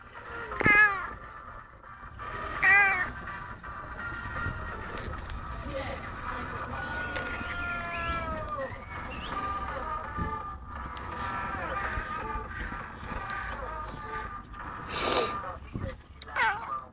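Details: Female pet cat that meows constantly, calling out in a series of loud, tonal meows, the first two clearest and rising then falling, later ones softer, with background murmur and a man's voice.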